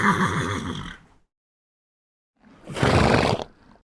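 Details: Horse neighing: a harsh shaky whinny fading out, a second of silence, then a rough, breathy, snort-like burst.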